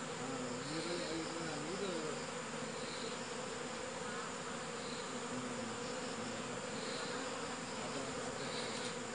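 Honey bees produce a dense, steady, low buzzing hum with a slightly wavering pitch.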